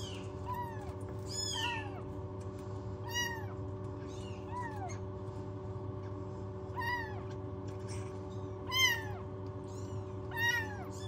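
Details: Several newborn rescued kittens lacking a mother cat call from a warming box indoors, high bent meows coming in uneven runs roughly every one to two seconds, a low mechanical hum underneath.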